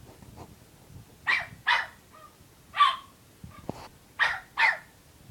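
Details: Unhappy puppy barking because it wants to play after being teased all afternoon; six sharp high barks in pairs and singles, with a faint whine between them, in a quiet room.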